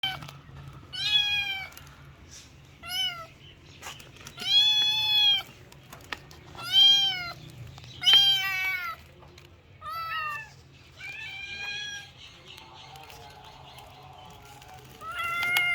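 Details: Kitten meowing loudly, a series of short high harmonic-rich meows, some rising then falling, repeated every one to two seconds with brief pauses, over a faint low hum.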